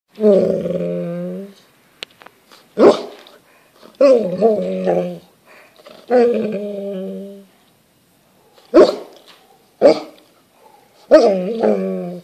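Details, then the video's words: Golden Retriever at home asking for his dinner after his people finish eating: repeated drawn-out whining grumbles, each a second or so, broken by short sharp vocal bursts, with a person speaking to him between. "Ziggy wants Din Dins"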